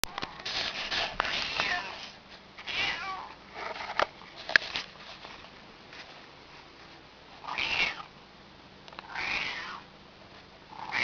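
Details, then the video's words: Domestic cat wanting someone to open a door for her, making odd sounds that are not quite meows: several short, strained, harmonic calls of a second or less, spaced irregularly with quiet gaps between. "Weird Cat Sounds"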